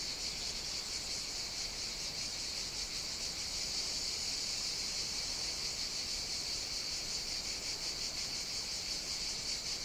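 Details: Cicadas in full song on Evia, Greece, in hot summer: an intense high rasping buzz with a fast pulsing texture, roughly three throbs a second, continuous and steady, no other sounds.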